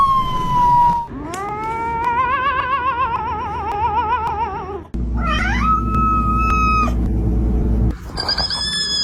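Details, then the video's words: Domestic cat making a funny, weird sound: a long wavering yowl that rises and then holds, with a quick vibrato. A sharp rising squeal follows, and other short tones come after it. Steady low noise runs underneath. "Funny Cat Sounds You Won’t Believe"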